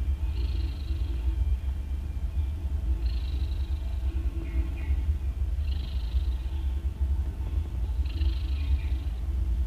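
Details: Mother cat snoring loudly while nursing three newborn kittens a day after giving birth; a steady low rumble runs throughout, with higher raspy breaths repeating about every two and a half seconds.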